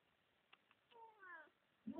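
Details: A one-year-old Siamese cat named Frankie makes cute little noises for the camera: a soft, slightly descending harmonic meow lasting about half a second, after two faint clicks, ending with a brief lower murmur.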